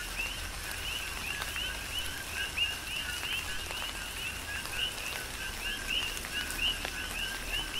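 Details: Steady chorus of coqui frogs during tropical rain on Hawaii's Big Island. High upswept chirps follow lower notes in a continuous overlapping rhythm, with raindrops tapping and a low rain rumble beneath.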